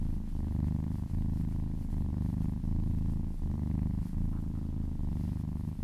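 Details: Domestic cat being massaged, purring in a low, even drone broken by short breath pauses about every second.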